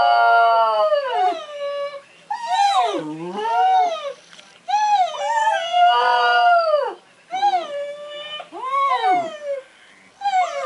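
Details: Border Terrier howling for the first time after a person started whining at it as a trick lesson; repeated long, wavering howls that swoop up and then fall, about six bursts over ten seconds.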